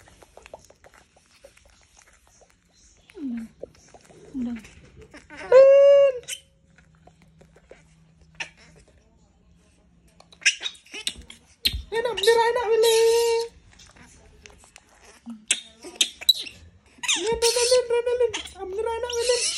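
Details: A monkey, disturbed on purpose, screams in three harsh, strained bursts, the longest about two seconds, each rich in overtones and wavering slightly in pitch. Quiet gaps with faint rustling separate the outbursts.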